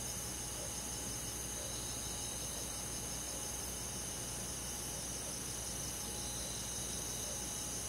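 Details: Crickets and other insects on a calm summer night in the countryside forest: a steady, high shimmering chorus of fine pulsed chirps that overlap without pause. A faint low hum sits underneath throughout.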